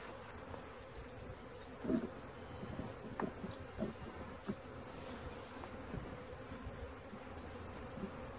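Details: Many honey bees buzzing while a swarm is caught, a continuous low droning hum broken by a few brief knocks and handling noises.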